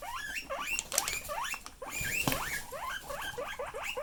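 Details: Loud guinea pig calls from pets: rising and arching squeals overlapping one another, some reaching high and bending down, with scattered clicks and rustling underneath.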